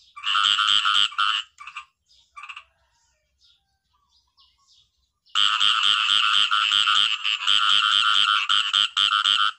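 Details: Khiat i-mo frog calling in natural surroundings: a burst of rapid nasal pulsed croaks, scattered faint notes and near silence for a few seconds, then a long loud run of fast repeated harmonic croaks.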